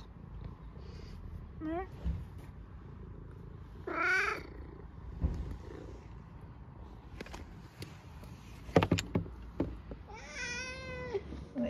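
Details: Eric, an 11-year-old vocal domestic cat, soaking wet on his bottom half after being outside in the rain, gives loud meows: a short one, then a strong harmonic meow, then a long wavering one near the end, between knocks and low background rumble.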